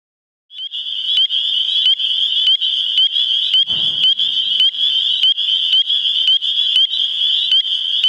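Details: Spring peepers giving their spring mating call in New Hampshire: a dense chorus of high, piercing upslurred peeps, many frogs overlapping into a steady shrill band, with individual sharp notes standing out roughly twice a second and a brief low thump midway.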